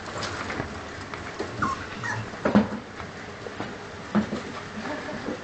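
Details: Cane Corso puppies squirming together with their mother and father indoors; soft, short whimpers and squeaky yips scattered irregularly, with a few louder squeals, over rustling movement.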